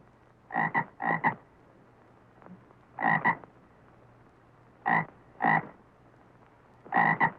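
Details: Frog giving paired, rasping croaks in clusters, with short double pulses repeating every one to two seconds against faint background hiss.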